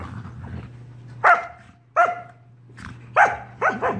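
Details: Sorbetto, a pet dog, barks in his big sister Biscotti's face during lazy indoor play; four quick, loud, ringing barks in four seconds, the last two close together, over a constant low room hum.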